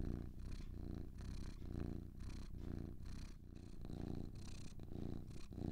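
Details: Two house cats purring together; a steady low vibrating drone rising and falling with each breath, around one pulse per second, with light breathy hiss.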